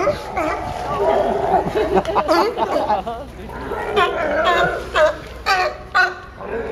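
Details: Sea lions at Pier 39, Fisherman's Wharf, San Francisco, bark in hoarse, honking bursts, several calls overlapping against a murmur of voices.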